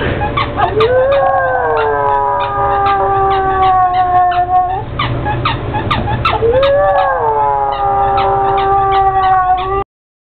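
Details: Bubba Moutes, a pet pug, howls at his squeak toy: two long, sustained howls, each rising and then sliding down to a steady tone, over continuous rhythmic toy squeaking.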